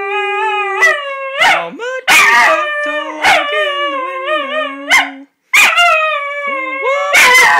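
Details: A miniature schnauzer named Floyd howls along in long, wavering, tuneful notes while a person sings "How Much Is That Doggy in the Window".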